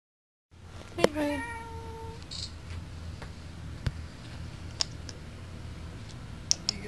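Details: Domestic cat meowing at a door at night, asking to have it opened: one clear harmonic meow about a second long, falling slightly at the end, followed by quiet room noise and a few faint clicks.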